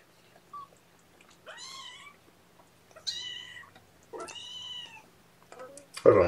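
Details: Young kittens, several cuddled on a lap during a morning syringe feeding of formula, 8 May 2018; three clear, wavering high meows about a second apart, each rising then falling, ending in a loud rustle with faint music.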